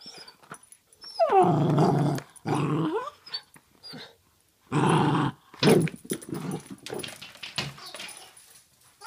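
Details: Basenji mix growling indoors while playing with a toy ball: rough, low, rumbling growls in bursts of about one second, with short pauses and scattered softer noises between them, in a small room.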